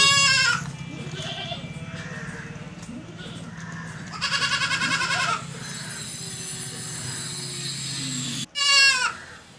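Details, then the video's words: Goat giving several wavering, nasal baa bleats: one at the opening, a longer pulsing bleat near the middle, and a short final cry. A constant low hum and a faint steady tone run underneath. "Funny Goat Baa Baa Sound#Bakri Sound"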